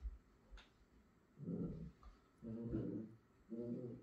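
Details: A Miniature Schnauzer inviting a Pit Bull to play makes three low, rumbling growl bursts, each about half a second long, separated by short pauses. A faint click is heard early on.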